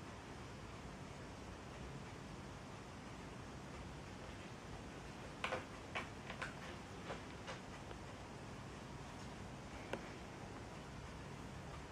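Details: Quiet indoor room hum with a handful of soft clicks and taps in the middle, and no animal voice.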